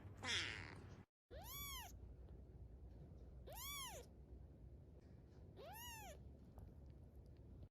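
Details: A pet cat gives three short, arched meows that rise then fall, spaced about two seconds apart, after a brief scratchy burst at the start, over low room noise.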